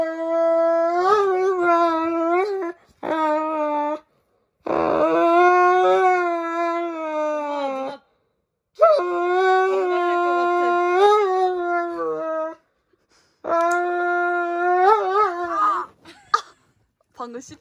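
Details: Roman, a pet Dobermann, fussing dramatically while having his nails clipped indoors: long, sustained, wavering harmonic howls in four drawn-out bursts separated by brief silences, ending with short yelps.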